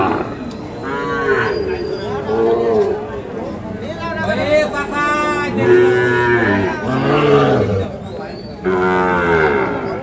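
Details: Fattened Sahiwal bull calves and cattle at Ambari livestock market, Dinajpur district, on 24 November 2025: low drawn-out moos, the longest around the middle and another near the end, amid steady crowd chatter and bargaining voices.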